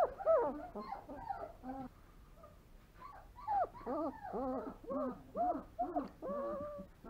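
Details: Longhaired German Shepherd puppy Alohnzo, three weeks old, born 26 September 2020, whimpering continuously in a string of short nasal squeals and whines, several each second with brief pauses, in a quiet room.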